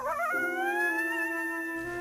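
A coyote howls: a brief sliding start that settles into one long, steady, mournful tone held for nearly two seconds.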